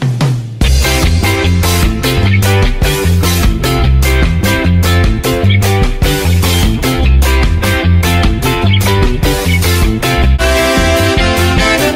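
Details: Loud rock music with driving guitar and steady drums fills the whole stretch, with no animal sound audible.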